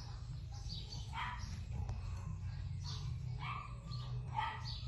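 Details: Female Keeshond puppy giving a few scattered high, squeaky yelps, some with a rising, whiny edge, separated by pauses of about a second, against a steady low droning hum.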